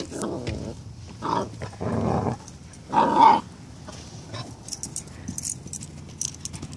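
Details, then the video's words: Foster puppies teasing an older dog: four short rough growly bursts in the first half, followed by quieter scuffles and light higher noises. "Foster Puppies teasing Kowe"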